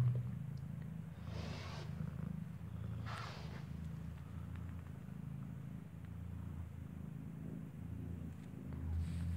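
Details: Newborn kitten, eyes not yet open, nursing from its mother, who gave birth inside a building: a continuous low rumbling purr runs steadily throughout, with soft rustles and a couple of brief hissy shuffling noises.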